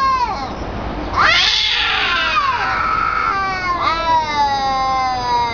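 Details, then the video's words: Fighting cats let out a loud, harsh screeching burst that breaks into a long, wavering, falling howl, then a second drawn-out yowl. "Wicked Crazy sounding Cat, Funny cat sounds"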